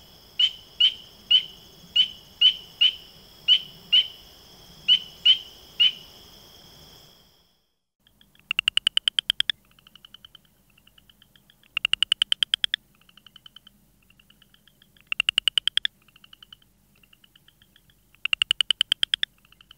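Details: Frog calls: first a run of short, clear whistled notes repeated about twice a second, then after a pause bursts of rapid pulsed clicks alternating with softer, thinner trills.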